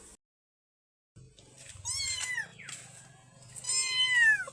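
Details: Playful black baby kitten making soft sounds: two high, bending meows, the second longer and falling, over a faint low purring or rustling hum.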